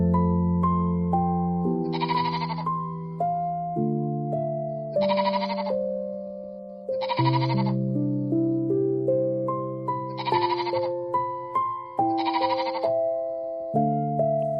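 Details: Goat bleating in five separate bursts, each roughly half a second long and spaced two to three seconds apart. Gentle piano music plays throughout, its melody steady underneath the calls.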